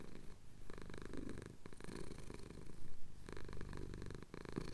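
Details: Pet cat in the Cotswolds, a male, purring contentedly as his chin is scratched at sunrise, captured on a Tascam DR-07X field recorder; soft, low throbbing purr with gentle breath-paced pulses, slightly quieter and unbroken.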